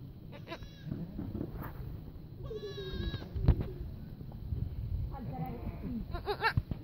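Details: Young goat kids bleating: a wavering, harmonic bleat of about half a second, with shorter quivering bleats before and after, over low rumbling background noise and handling sounds.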